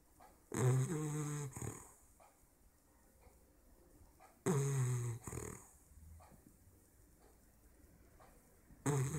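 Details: English bulldog puppy, 16 weeks old, asleep and snoring indoors: three loud, rasping, low snores with a harmonic buzz, roughly every four seconds, separated by quiet breathing in a small room.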